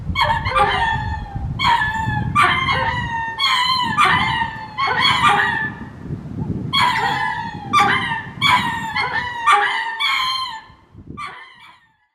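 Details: Ring-tailed lemur courtship calls at a zoo in Hitachi, Japan: a series of short, loud, harmonic yelping calls, often paired, each dropping in pitch, repeated roughly every second for about eleven seconds over low rumbling background noise.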